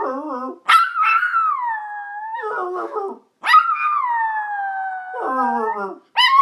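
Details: Yorkshire Terrier howling together with its owner: two long sustained wails, each starting high then sliding gently downward for about two seconds, alternating with lower wavering human howling.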